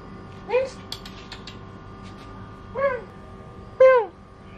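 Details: Cats reacting to a newly bought Persian cat, nearly coming to blows: three loud, arching meows, the first near the start, then two close together toward the end, over a quiet indoor hum.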